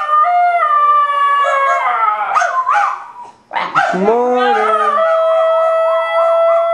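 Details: Duet of a basenji and a Miniature Australian Shepherd singing and howling, steady drawn-out tones breaking into wavering yodel-like swoops, a brief pause, then a long howl ending in fast rhythmic vibrato.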